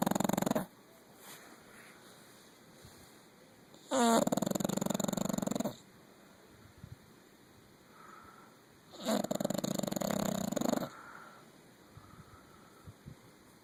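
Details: A 9-year-old female English Bulldog snores heavily in her sleep, with loud, raspy, gurgling breaths of nearly two seconds about every five seconds, quieter pauses and faint background hiss between snores.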